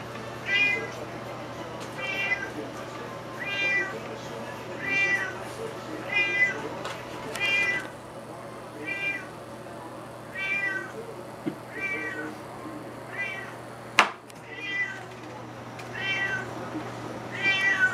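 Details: Juniper the cat, begging after smelling salmon, meows nonstop: about a dozen short, harmonic, slightly rising-falling meows roughly every 1.3 seconds, with a sharp click midway and a low steady room hum beneath.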